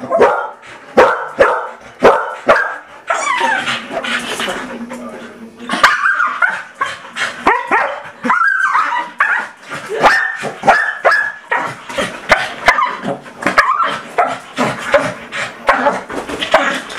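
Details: Trixie and Tillie, two dogs going wild for a toy blow horn, keep up a nonstop stream of sharp, high barks and yips, several each second, loud and uneven in rhythm from start to end.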